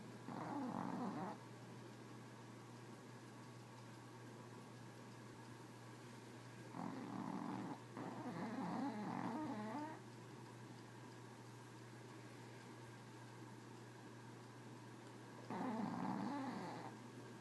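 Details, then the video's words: A Chihuahua snores in slow cycles: rattling, nasal breaths at widely spaced intervals, two of them run close together midway, with quiet pauses between and a low steady hum throughout. "Snoring chihuahua"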